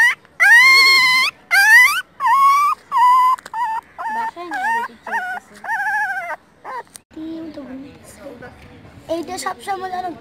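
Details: Newborn puppies, a litter of four discovered at a roadside before their mother appeared, whimper in a rapid series of short, high wavering cries that grow quieter, with a low voice murmuring in the latter half.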